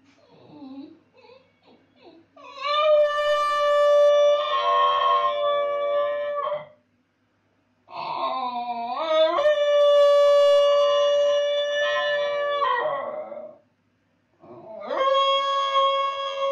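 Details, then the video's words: Basenji dog howling indoors while its owner is gone: long sustained harmonic howls of several seconds each, rising at the start and wavering, separated by brief silences, with a few short whines before the first. "When Master is gone howling basenji"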